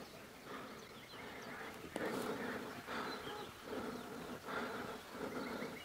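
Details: Wild honey bees from a hive being cut out of a mountain bush in village Iran, bees attacking. A dense, droning buzz with layered overtones swells and eases in irregular waves, with faint rustling in the background.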